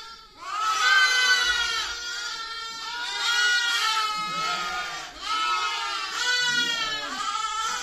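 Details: Baby sheep giving repeated quavering bleats, each a drawn-out harmonic cry about two or three seconds long, with voices overlapping one another throughout.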